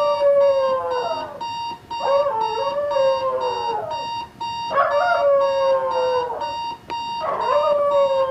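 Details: Jax the dog howls indoors in protest at a beeping alarm clock; a run of wavering howls, each rising sharply and then sliding down, nearly continuous against the steady pulsing beeps.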